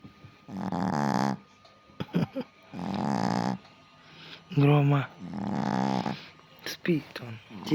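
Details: A resting Chihuahua snores in low, rasping breaths that repeat about every two and a half seconds, eyes open, with snorts.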